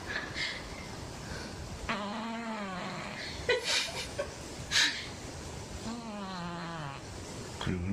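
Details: Domestic cat fully asleep and twitching a lot, as if having a nightmare: two drawn-out, low, moaning snore-like sounds that rise then fall, about four seconds apart, over room hiss, with people talking softly nearby.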